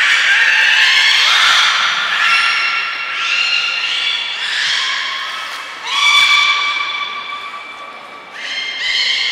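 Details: Captive beluga at Port of Nagoya Public Aquarium on 18 February 2024, playing after its fish meal; a run of loud harmonic whistles and squeals, several rising then sliding, in bursts about every one to two seconds.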